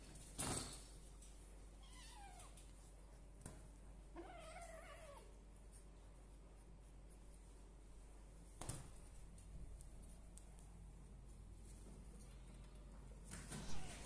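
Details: Two high, thin meows from one-month-old kittens, a litter of three from village and Persian cats: a brief falling cry around two seconds, then a longer wavering, descending mew, with sharp knocks and rustling between them.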